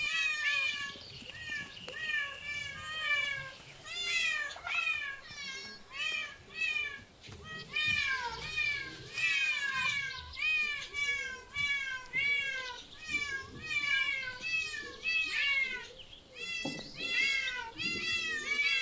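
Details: Cats in parks, zoos and streets meow in a steady run of high, bending calls, each rising then falling, repeated back to back for most of the stretch with brief pauses.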